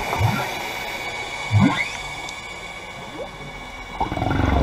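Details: Wild humpback whale passing divers at the Carthaginian Shipwreck off Maui, Hawaii, recorded underwater: several short low upswept chirps, scattered through the clip, one reaching a thin higher whistle, over a steady hiss of water and faint bubbling.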